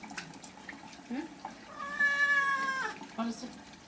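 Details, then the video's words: Cat getting a bath lets out one sustained, steady, harmonic-rich meow lasting about a second, framed by short soft sounds and a quiet voice before and after. "Cat bathing videos"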